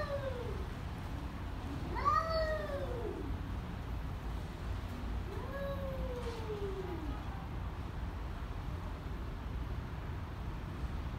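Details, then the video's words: Two angry cats exchanging arched, whining yowls, one sharp cry rising and dropping early on and a softer drawn-out moan a few seconds later, over a constant low rumble. "Two angry cats"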